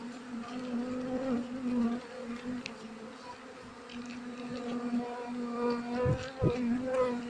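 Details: Honey bees buzzing as their nest is harvested by a beekeeper during the harvest season, when many trees such as mango, rubber, kapok, rambutan and coffee are flowering; a steady low drone with a faint higher hum, swelling slightly toward the end.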